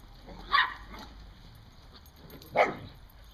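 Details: Dog outdoors herding squirrels in October 2014, giving two sharp, short barks about two seconds apart, each a brief loud burst, with quiet background hiss in between.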